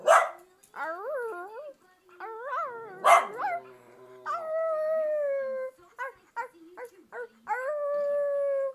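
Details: Pet dog reacting to a movie on TV: wavering, pitched howls and whines that bend up and down, broken by two sharp barks, then long, sustained, slightly falling howled notes.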